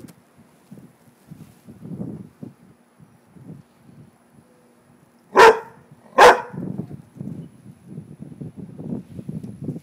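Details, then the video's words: Pet Rottweiler barking at a little frog: two loud, abrupt barks under a second apart, surrounded by softer low snuffling and huffing sounds throughout. "Rottweiler vs. Frog"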